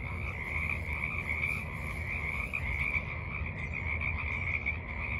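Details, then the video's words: A forest pond chorus of frogs on a March evening in 2023. Many callers blend into a continuous, rapidly pulsed, rather high trilling that never pauses, with a steady low murmur underneath. "Evening Frogs Croak in the Mud"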